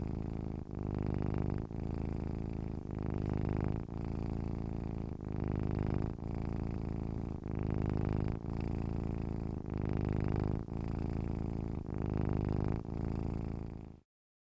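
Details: Cat purring gently, a deep buzzing drone that rises and falls with each inhale and exhale in an even rhythm of roughly one breath per second, then stopping abruptly into silence near the end.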